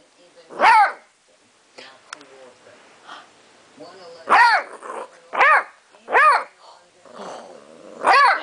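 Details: Beagle pup newly brought home vocalising in protest over his confiscated bone, 2008: five loud arched howling barks spaced about a second apart, with a person's quiet speech and soft grumbles between them, indoors.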